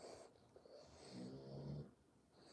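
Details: English bulldog snoring indoors in a home with three English bulldogs; a quiet, low rumbling snore swells through the middle of the clip, then fades against faint room noise.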